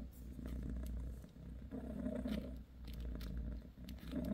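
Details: A mother cat named Bassy, massaging her kittens, keeps up a low vibrating purr in uneven bursts separated by brief dips for breath, with light rustles.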